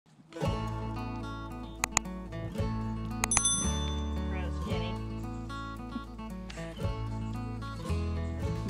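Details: Background music with guitar notes and bright bell-like chimes plays throughout, with no animal sound.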